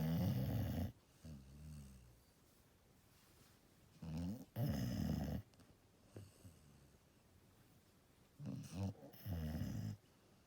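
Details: Deeply asleep Golden Retriever snoring in low, rough rumbles that come in pairs, one inhale-like burst followed by a longer one, repeating every few seconds, with soft breathing noise in the pauses.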